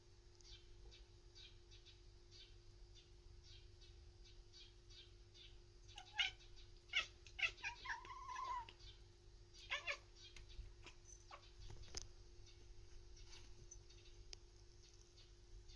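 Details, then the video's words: Ramu, a pet cat, chattering while watching a bird outside, and yawning. Soft rapid ticking clicks build into a burst of louder chirpy, stuttering chatters and short meow-like notes midway, then fade back to faint clicks over a steady low hum. "Cat chattering at bird"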